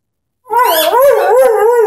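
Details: Ten-month-old Airedale Terrier Henry sings with his orange squeaky ball, a single sustained howl rising in gentle undulating waves of pitch after a brief silence.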